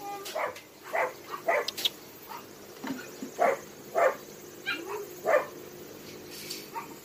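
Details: Abandoned dogs at Hanna's rescue shelter in Daegu, South Korea, barking in sharp, separate yaps, about six barks in seven seconds with uneven gaps, over a steady background hum.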